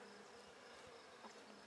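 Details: Buckfast honey bees in a handmade hive, opened on 23 May 2009 to check brood growth, the colony calm after a cool night; a soft, steady low hum with a faint higher drone, quiet overall.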